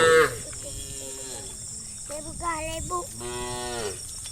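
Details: Tame cattle head to their farm pen in a calm evening procession; several bending, harmonic moos follow one another, one sliding up and then falling, over a constant high hum and soft shuffling.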